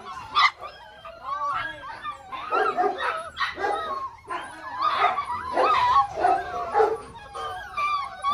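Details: Belgian Malinois puppies, six weeks old, from the Lorockmor Mensa x Pixel pairing. A dense chorus of rising and falling whines, squeals and yelps from several pups, with brief louder bursts roughly every second.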